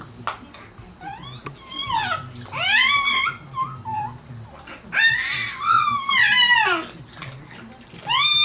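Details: Izzy the cat vocalizing indoors: a string of about five wavering, whiny meows of varied length, some bent upward at the end, over a low background hum and faint room noise.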